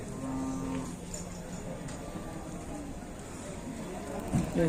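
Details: Cattle in a raging bull fight (adu banteng) in Indonesia: a low, drawn-out, harmonic lowing moo through the first seconds, a sharp louder grunt near the end, with people talking and steady background noise.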